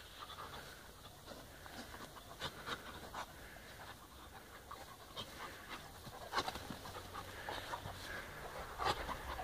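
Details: Balu and Diesel, two brother pups, romp gently with each other on day four, breathing in short uneven huffs and pants between scuffling bursts, a couple of sharper puffs standing out near the end over a low steady hum.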